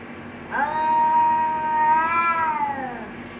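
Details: Cats fighting and threatening each other: one long, steady, nasal yowl held for about two and a half seconds, rising slightly near the end before fading, with a quiet background.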